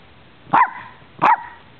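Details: A pair of sharp barks about 0.7 seconds apart from one of four dogs (mix breeds, a Lhasa Apso and a Shiba Inu) playing together in Bonita Springs, Florida, December 2011; quiet background between.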